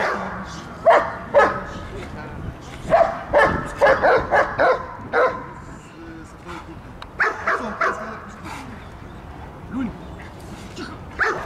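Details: Belgian Malinois attacking during protection and guard-dog training at a service dog training centre in Odesa, Ukraine: sharp, loud barks in irregular bursts of two to five, with gaps between volleys, and people talking throughout.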